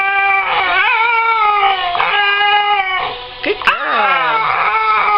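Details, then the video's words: Female Siberian husky indoors singing along on request, sustained harmonic howls wavering and sliding in pitch, with a brief dip and a person's voice partway through. "Classical Singing (or attempts) Husky"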